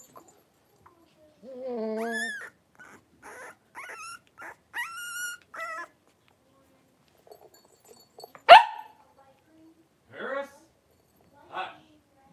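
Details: A litter of five three-week-old blenheim Cavalier King Charles Spaniel puppies at play: a long wavering whine, a run of short rising squeals, then one sharp yip and a few softer whimpers in a quiet room.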